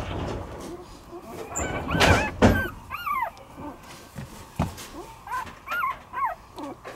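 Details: Two-week-old Shiba Inu puppy whose eyes have just opened: short, high, arched whimpering squeaks in small groups, rising then falling, between louder thumps and rustling handling noise.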